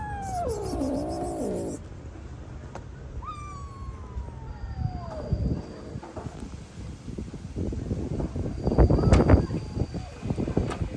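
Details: Rescued stray kitten, abandoned and left freezing for two days in -11°C snow, gives a long wavering wail that dips and rises, then a fainter falling cry. Scuffling, knocks and handling noise follow.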